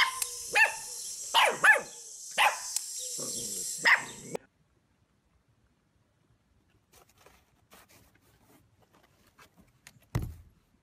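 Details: Puppies in a compilation give a burst of sharp, high yappy barks, about six in the first four seconds over a hissy background, then near silence with faint ticks and a single thump near the end.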